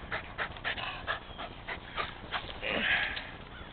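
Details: Jack the rescued Rat Terrier breathes in quick huffs while playing fetch; a few spaced airy pants are followed by a longer, louder hissing breath near the end.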